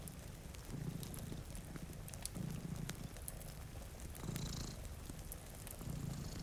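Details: Domestic cat purring, one of two cats sleeping in front of a rainy window beside a cozy fire; low rumbling purr swells in bursts roughly every one and a half to two seconds, over steady rain hiss and faint fireplace crackles.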